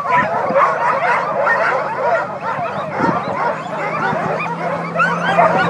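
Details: A crowd of sled dogs singing together, their overlapping howls sliding up and down in pitch, mixed with sharp yips and whines in a busy, unbroken chorus over a faint low droning hum.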